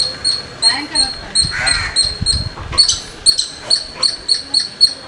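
A squirrel gives sharp, high chirps in a quick, steady series, several each second.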